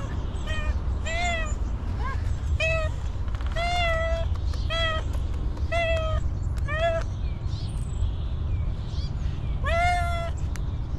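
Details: Hungry homeless female cat, said not to have eaten for a long time, meowing repeatedly: about nine clear, tonal, slightly rising-falling meows spaced roughly a second apart over a steady low rumble of background noise.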